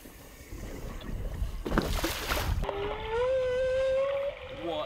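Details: A single male humpback whale migrating off Queensland's Gold Coast sings directly beneath a hydrophone, exceptionally loud: a long, steady moaning tone that slowly rises, with faint higher overtones.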